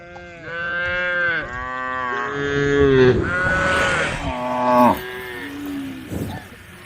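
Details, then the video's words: Several tame female cows calling the herd, their moos overlapping almost without break: bowed, harmonic calls, with a rougher, hoarse stretch midway as voices pile together, before fading out. "the sound of cows calling the herd"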